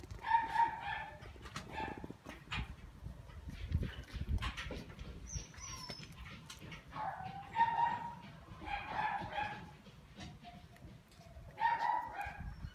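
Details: Male Shiba Inu giving short, tonal whining yelps with bright harmonics, in separate bursts near the start, around the middle and at the end, over a steady low rumble of background noise.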